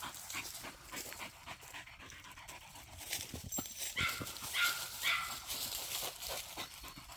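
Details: Jagdterrier dog out hunting, panting in quick, breathy, noisy bursts at roughly two per second, with a few brief higher squeaky tones midway, over constant broadband rustling and handling noise outdoors.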